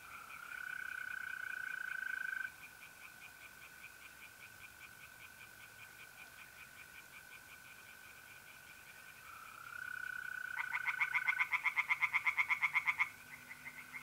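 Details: Mid-April night at a pond in North-East Italy: mole crickets trill steadily while tree frogs call in soft fast pulses, then a loud rapid rattling frog series erupts for about three seconds before the trill continues alone.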